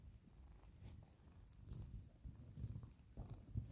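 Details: Pet dog snoring while asleep indoors in a small quiet room as the rest of the household sleeps; low, rumbling breathy pulses in close succession, growing louder toward the end, with faint rustling in the background.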